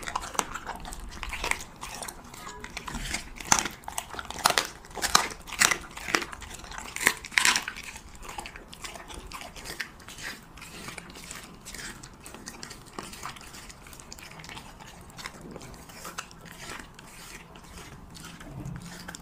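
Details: Indoors, a Siberian Husky chews cheese meat: crisp bites and smacking crunches, densest in the first seven seconds, then softer, scattered chewing clicks.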